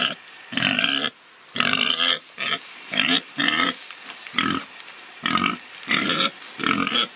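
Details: Domestic pig grunting and oinking in a steady series of short, rough, nasal bursts, about a dozen across the span, each roughly half a second long and separated by brief pauses; no other sounds stand out.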